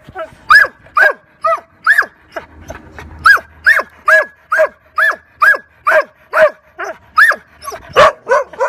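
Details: Labrador Retriever at Ruff House Pet Resort, very nervous in a day care temperament test. A bright, insistent bark repeats about every half second with a brief low murmur midway.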